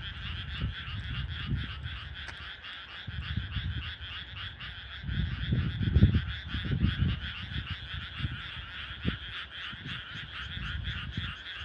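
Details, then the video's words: A dense chorus of frogs croaks steadily at night in a rural rice paddy, where only frog voices are heard, with a low rumble of wind. "カエルの鳴き声 パート2田舎の田んぼ"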